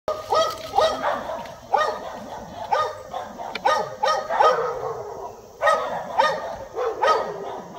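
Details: Several dogs bark hard and fast in ragged, overlapping mid-pitch bursts, some breaking into higher yelps, scaring black bear cubs up a tree while the mother bear stands guard at its base.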